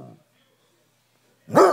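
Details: Gunner, a Basset Hound upset at being left behind when his family went on a trip, breaks a short silence with an abrupt, loud, harmonic-rich howl. A person's soft voice is heard briefly just before.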